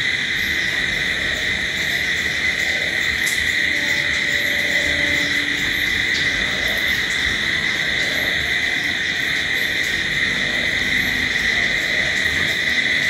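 A steady night chorus of crickets, their shrill trilling merging into an unbroken ringing drone.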